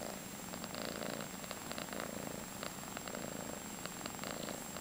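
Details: Close, steady purring from a five-month-old calico female foster cat in San Carlos, California. A low vibrating rumble rises and falls in a regular rhythm of roughly one cycle per second, with nothing else heard.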